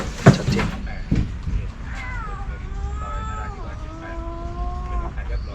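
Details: A stray mother cat in Thailand gives one long, drawn-out meow of about three seconds, falling then holding steady, calling for her four kittens after a roughly 2 m python got into the cardboard box where she gave birth; knocks and low engine hum precede.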